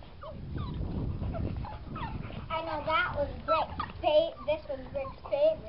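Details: Boxer puppies at seven weeks old, a litter, whining and whimpering in a series of short rising and falling tonal cries, overlapping one another, with people talking over them throughout.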